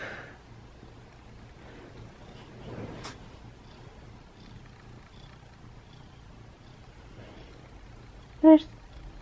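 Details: Butters, a pet cat indoors, doing high fives; mostly quiet room with soft low rumble, then one short, loud, harmonic meow near the end, followed by a sharp click.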